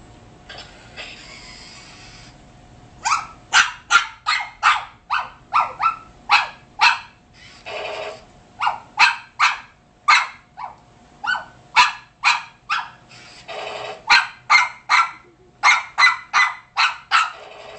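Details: Shih Tzu barking at a robotic snake toy: after a quiet start, sharp, high yapping barks come in quick, uneven bursts of three to six, with brief pauses and a few huffing breaths between.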